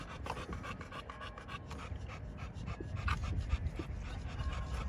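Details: Rapid panting by a male pocket American Bully from a kennel in Romania, nearly four quick breaths per second, hissing and airy, over low rustling.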